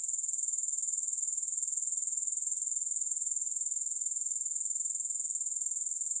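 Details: Unbroken, piercing grasshopper chorus with no music, a fine high buzz pulsing fast and evenly about four beats per second, constant in level with no other sounds.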